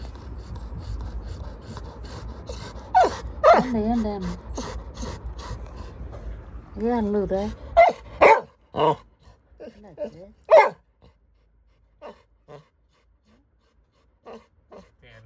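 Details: Little John, a Labrador Retriever puppy, crying and scared of something: wavering, quavering whimpers around two and seven seconds, then short sharp yelps and breathy huffs trailing off into near silence.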